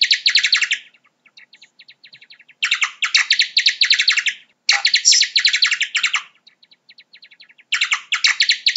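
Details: A bat gives dense volleys of fast, rasping chatter, each about a second and a half long, with quieter runs of fine rapid ticks filling the gaps between volleys; the pattern repeats several times.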